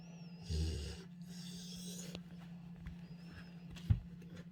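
A Rottweiler snores in two rough, breathy bursts over a steady low hum.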